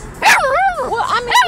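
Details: A Chihuahua mix puppy in a car dances and "talks," barking along to a song with wavering, sing-song yelps and barks that rise and fall in pitch.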